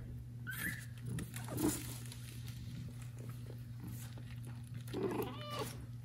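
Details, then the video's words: Kitten left by a mother cat that does not come to it, calling loudly: a thin high meow early on, then a lower louder cry near five seconds, with a constant low hum indoors. "Cat steals a loudly meowing kitten from mom cat"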